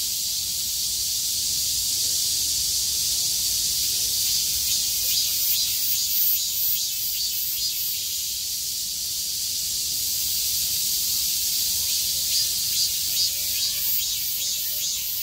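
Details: On 6 August 2020, after the rain ended, cicadas sing with all their strength. The massed high buzzing drone carries a faint rapid pulsing near the top, rising and falling slightly in loudness.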